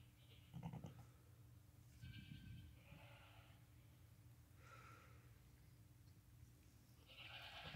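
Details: Newborn lambs less than five hours old, born the same day, crying while walking and nursing with their mother; short harmonic bleats at about 0.7, 2, 3 and 4.7 seconds and a longer one near 7.3 seconds over a steady low hum.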